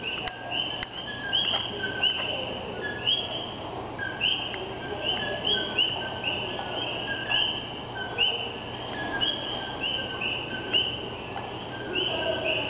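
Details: A chorus of tiny common coqui frogs (Eleutherodactylus coqui) in Puerto Rico gives bird-like two-note whistles, a low 'co' jumping to a higher 'kee', often mistaken for birds.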